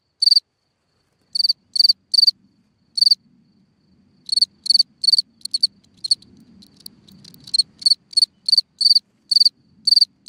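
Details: Night chirping of a cricket calling from a hole in the ground, bursts of rapid high pulses in uneven groups, a pause of over a second mid-way, and faint low rumbling noise beneath the later chirps.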